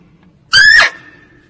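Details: Lure call of a female barking deer (kijang) for hunting: one abrupt, shrill, slightly rising squeal lasting under half a second, with a faint low rumble in the background.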